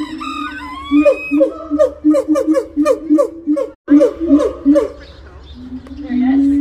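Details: Gibbon calling to establish territory and reinforce family ties: a steady hooting note, then a fast run of swooping, bouncing whoops about three per second, a brief break, more whoops, and a closing rising tone.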